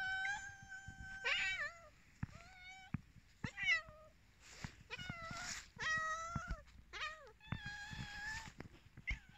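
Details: Many domestic cats waiting for food, meowing over and over: overlapping harmonic meows, some long and level, others bending up then down, several cats calling at once in quick succession.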